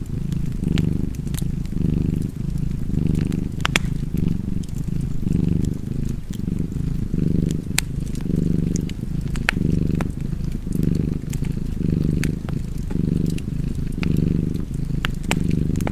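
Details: Cozy cat purr by a fire, a continuous deep vibrating drone that swells and fades in regular breaths, punctuated by bright crackles and pops from burning wood.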